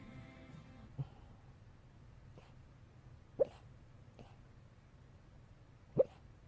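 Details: A pet dog named Eungsuni, asleep, giving the short 'ppyok! ppyok!' squeaks she sometimes makes while sleeping: brief, sharp, mid-pitched blips, three strong and two fainter ones spread irregularly over six seconds, with a faint musical tone at the start.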